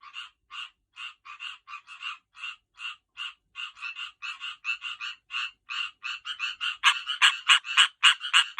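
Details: Tree frogs calling while getting ready to breed: rapid pulsed croaks repeated several times a second in a steady run, growing louder and harsher toward the end as more frogs join.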